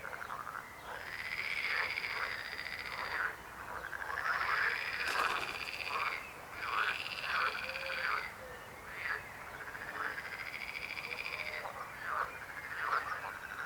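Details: Frogs croaking in a dense chorus, several callers overlapping in rattling, pulsed trills that swell and fade in waves every second or two, with a few sharp clicks mixed in.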